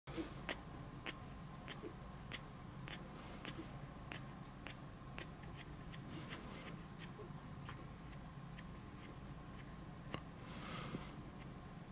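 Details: Regular sharp clicks tick over a low room hum, with a soft rustle near the end.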